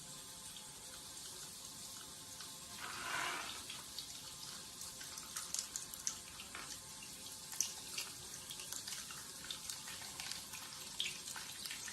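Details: Quiet indoor scene of running tap water and small clicks and drips, with no animal sound.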